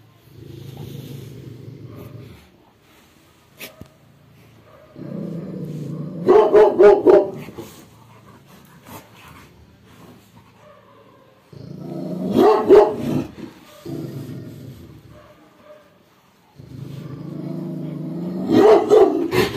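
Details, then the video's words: Angry, aggressive Labrador Retriever guarding: long low rumbling growls alternate with short bursts of quick sharp barks, three growl-then-bark cycles over the stretch. "When Aggressive Fatty Labrador Gets Angry"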